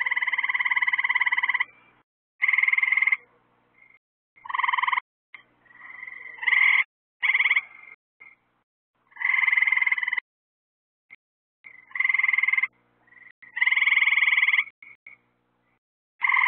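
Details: Frogs calling at night near lights set out to attract insects: loud buzzy pulsed trills, each about a second long with two bright bands, repeated in bursts with short gaps and some softer overlapping calls.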